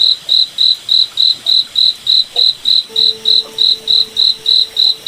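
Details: Steady, shrill chirping of a cricket on a moonlit forest night, each pulse evenly spaced about three and a half per second, with a quiet low hum entering partway through.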